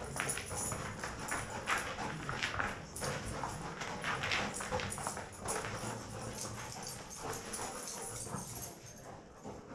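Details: Two dogs, Toby and Knut, left alone in a research room at Mount Royal University's Virtual Spaces Perception Lab, playing together: a steady run of scuffling, thumping bursts and short broadband yelps and huffs, with no other clear sounds.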